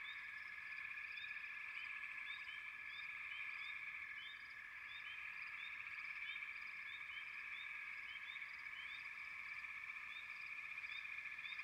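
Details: Frogs keep up a continuous high, pulsing chorus. Numerous short rising chirps cluster thickly in places and thin out in others, with nothing else audible.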